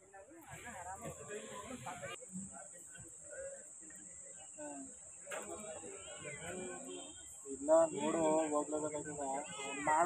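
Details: A domestic cat meows in short, wavering, harmonic cries. The louder, drawn-out meows in the second half sit over people talking nearby, with a steady high-pitched whine throughout.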